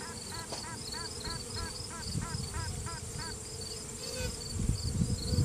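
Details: Virgin honey bee queen inside a hive during a routine check, sounding off to assert dominance, recorded on a cell phone: rapid series of short, nasal, harmonic toots, about four per second, over steady hive hum and a faint high rhythmic background pulsing.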